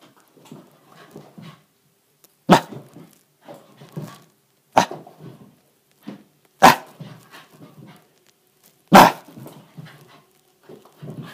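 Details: A Shiba Inu puppy in frenzied play mode, burning off excess energy in an apartment, gives sharp, excited barks between low grumbling growls.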